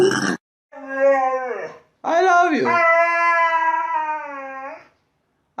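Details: Dog making funny, talking-style noises indoors: a short burst, then a drawn-out, tonal, moaning howl that falls slightly in pitch, followed by a longer sustained wavering howl lasting nearly three seconds.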